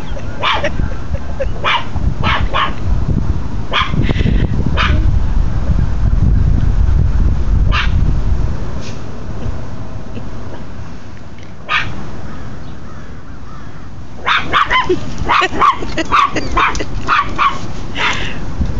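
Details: Tucker the dog, acting as a little guard dog, barks at people next door. Single sharp barks come at uneven intervals, then a dense flurry of rapid barks near the end, over low rumbling noise.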